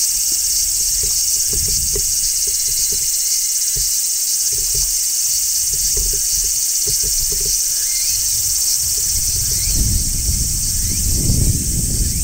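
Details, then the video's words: Midsummer song of a large brown cicada on a tree: unbroken, hissing high-pitched shrilling across the whole stretch, over low rumbling outdoor noise that swells near the end. "Cicadas Singing in Midsummer | Large Brown Cicada"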